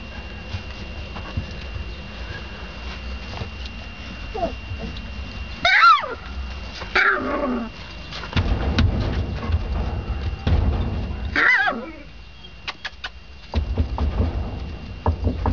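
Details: Three-week-old Dogo Argentino puppy giving a few short, high-pitched squeaky whines in the middle stretch, amid rustling and bumping handling noise and a low background rumble.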